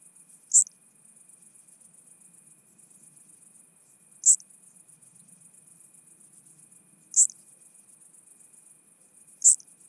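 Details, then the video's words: Chabrier's marbled bush-cricket recorded through a Pettersson D 100 ultrasound detector at Arzo, Switzerland, on 4 August 2023, giving four brief, crisp, high chirps spaced roughly three seconds apart against a continuous thin high hiss. "Eupholidoptera chabrieri -- Grüne Strauchschrecke -- Chabrier's Marbled Bush-cricket"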